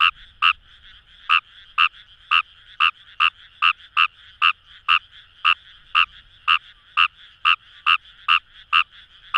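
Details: Rapid croaking of Kawamura's rice frog from paddy fields at Itoshima's Kamo River, Fukuoka, Japan: roughly nineteen crisp, nasal notes in quick succession, spacing slightly uneven, set against near silence.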